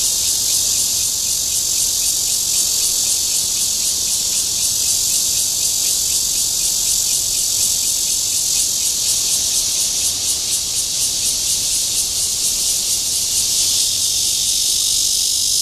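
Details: At Guangming Park in Zhongli, Taiwan, a Cryptotympana holsti cicada gives its courtship call: a sustained shrill buzz with a fast throbbing pulse, wavering slightly in loudness, changing tone near the end.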